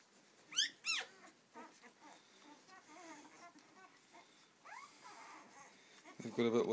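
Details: Seven-day-old Rhodesian Ridgeback puppies from a first litter give thin, high squeaks and arching whines in scattered bursts, two sharp cries early on, then softer chirps, with a rustling thump at the end.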